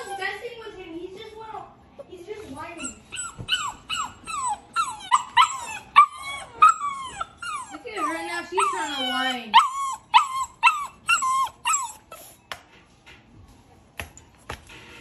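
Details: Cane Corso puppy protesting kennel training with repeated high whines and yelps, first drawn-out falling cries, then rapid sharp yips about every half second, fading toward the end.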